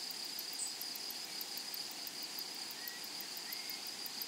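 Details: Meadow grasshoppers among flowers make a dense, high-pitched hum stitched with quick repeated clicks; two faint upslurred bird chirps come late in the stretch.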